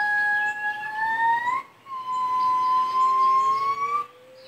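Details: Two gibbons at San Diego Zoo call back and forth in long, pure, hooting notes that swell and rise slightly at their ends.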